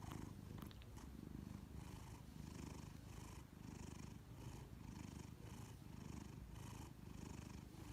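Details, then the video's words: A giant Maine Coon cat purring and snoring indoors. The steady, low rumbling purr swells and fades in pulses about once a second, with a faint click near the start. "Giant Maine Coon Cat's Adorable Purring & Snoring"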